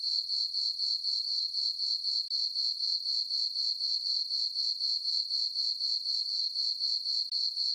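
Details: Crickets on a summer night in a moonlit meadow on a farm: a continuous, piercing high chirp, pulsed steadily around four times a second, with two short breaks and no other noise.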